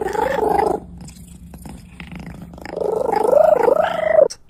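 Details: Domestic cat vocalising in a home setting: two drawn-out, moaning meows with a strong harmonic tone, the first short and steady, the second longer, wavering and rising toward its end, separated by a quiet pause.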